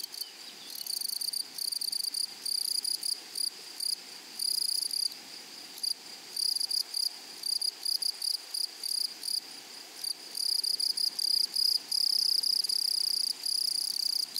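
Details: Close grasshopper stridulation in a flowery meadow: loud, raspy, high bursts of buzzing chirps in irregular short runs separated by brief gaps, louder and more broken toward the end, over a faint steady insect hum.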